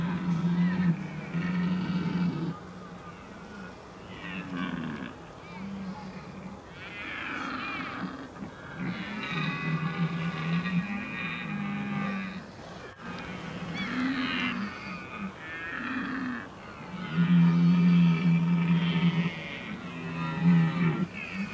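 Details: Deep, drawn-out bellowing roars of red deer in the October rut, Oostvaardersplassen, 15 October 2011, come in repeated bouts of several seconds against a low constant rumble, with fainter higher calls in between.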